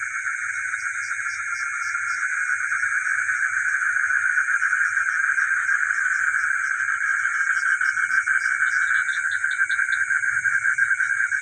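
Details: Chorus of frogs at night in a village, a continuous throbbing mid-range trill from many callers, a steady high shrill hum overhead, and brief extra chirps standing out toward the end.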